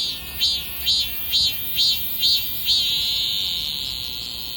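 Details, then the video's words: Singing cicada: six evenly spaced high buzzy pulses, roughly two per second, merging into one continuous shrill drone that carries to the end. "매미 소리를 찾아서"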